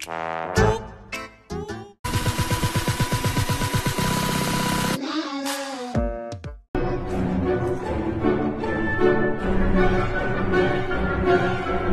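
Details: Punchy brass and trombone music with sharp stabs, a sustained buzzing horn passage and a dense closing band arrangement, with no animal voices present.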